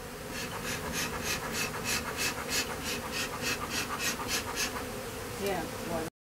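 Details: Western honey bee from a swarm being removed at a house, flying around a person; steady buzzing hum with rapid pulsing wingbeat bursts throughout, a voice briefly speaking.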